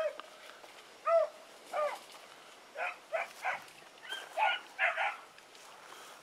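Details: Pups being trained, Sassy and Magnum with Ringo and Boone: a few separate yelps and short rough barks spaced under a second apart, with a faint tone and soft background noise.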